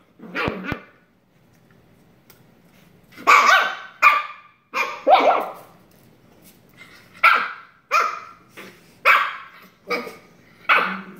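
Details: Playful Shiba Inu puppy tackling a sister pup: a burst of high, scratchy barks and yelps in irregular clusters, roughly eight bursts over eleven seconds, with short quiet gaps.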